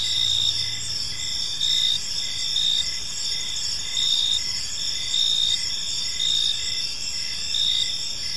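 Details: Crickets in a tranquil park at dusk give high shrill pulsed chirps, louder bursts recurring roughly every second. A low hum is heard briefly at the start beneath the chorus.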